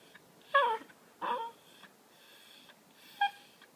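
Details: Indoors, a pet Miniature Pinscher named Cooper pleads to play with a laser toy, giving two breathy, wheezing whimpers and a thin high squeak after a pause.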